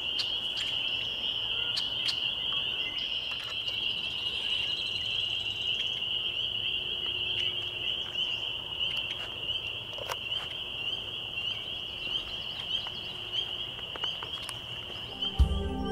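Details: Spring peepers on a May 2021 evening at Laurel Creek Conservation Area near Waterloo, Ontario, Canada keep up a continuous thin high-pitched chorus for sixteen seconds, with scattered clicks and a low rumbling thump at the close.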